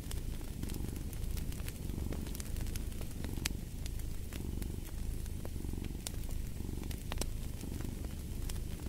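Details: A cat's continuous low purr pulses in slow waves under frequent snapping crackles of a burning fireplace.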